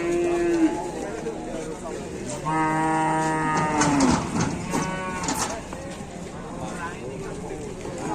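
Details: Calf on an Indonesian cattle farm, rampaging and butting here and there, utters a brief moo then a longer steady bellow of about one and a half seconds, followed by clattering noises and softer sounds.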